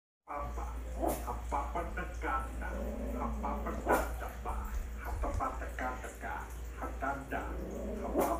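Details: Poodle puppy angry at another dog aboard a plane, giving a run of short, sharp, harmonic yaps and barks in quick bursts over a steady low engine drone, with people talking nearby.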